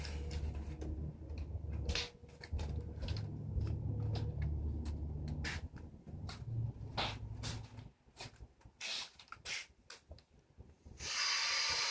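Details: Soft indoor rustling and tapping of packaging being handled, sharp clicks, and a burst of hiss at the end, with no animal voice.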